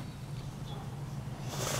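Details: Liberty, a hungry pet Boxer dog, throws a tantrum demanding an early dinner: a low, steady rumbling groan holds unbroken through the whole stretch, ending with a short burst of rustling noise.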